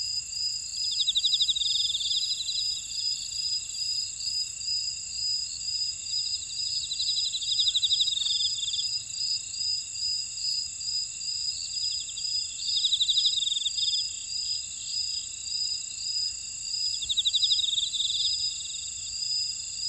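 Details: Insects in a buckwheat field at Ora-dong on volcanic Jeju Island, South Korea: unbroken high ringing trills with rhythmic pulsed chirp phrases swelling roughly every five seconds, plus faint ticking clicks.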